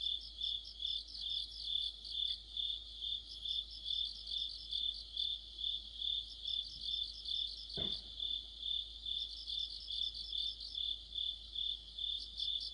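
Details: Insect orchestra of crickets in the middle of autumn by a streetlight, a constant high-pitched ringing plus rhythmic pulsed chirping about two per second, briefly broken by a sharp knock midway.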